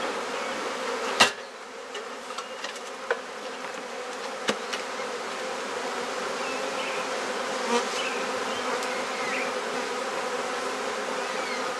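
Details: During a hive inspection in a Perth, Australia garden, with frames being swapped, a colony of honey bees keeps up a dense, unbroken humming drone, punctuated by sharp clicks and knocks of handled woodwork.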